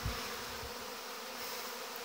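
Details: Honey bees, many young bees making their orientation flight at the hive entrances on 17 August 2019: a dense, steady buzzing hum with a low thump near the start.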